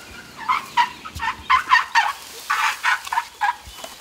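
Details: Baby Asian elephant Wan Mai greeting her friends Pyimai and Chaba with happy, chatty noises; a rapid series of short, bright chirping squeaks in two bursts, each call quickly repeated, with no deep rumble.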